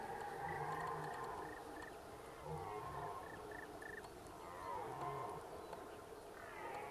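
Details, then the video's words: A red deer stag roars during the rut at Zvārde, Latvia, giving deep, harsh bellows in bursts a couple of seconds apart. "Briežu baurs Zvārdē Red deer rut"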